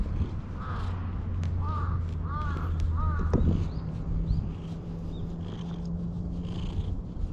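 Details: Jet-black stray cat, having followed a person and climbed onto their lap, meows as if appealing for something; four short arched meows in quick succession early on, over steady low rumble and handling noise, recorded on a GoPro HERO8 Black.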